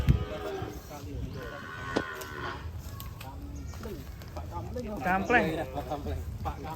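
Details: Very large cattle being led out of its pen in Indonesia; a low drawn-out moo near the middle, mixed with men talking and laughing close by and a higher voice toward the end.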